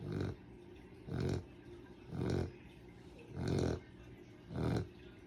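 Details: Dog fast asleep, giving heavy, low, snorting snores roughly every second, each a coarse grunting rasp, with near silence in between.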